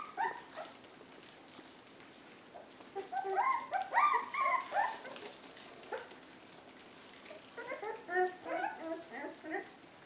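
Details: {'caption': 'Puppies 24 days old being fed give high, squeaky whimpers and yips in irregular bursts, busiest in the middle and near the end, with soft background noise.'}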